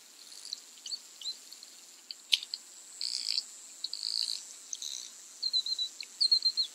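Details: Bottlenose and Atlantic Spotted dolphins communicating as they play in the tide line at Bimini, Bahamas, in June: scattered high whistles, sharp clicks and short squeaks, closing with wavering tonal whistles repeated in quick succession, over a constant underwater hiss.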